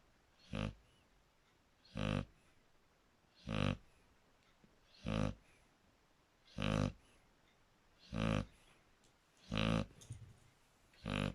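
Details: Shar Pei dog snoring: deep, rough, broadband snores repeated about every one and a half seconds, eight even bursts with quiet pauses between them.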